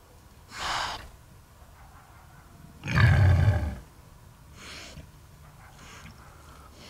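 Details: A huge sow gives a deep, rough growl of displeasure, a low rumbling grunt between quieter snorts, heard at night during a hunt while waiting for her to clear the cows.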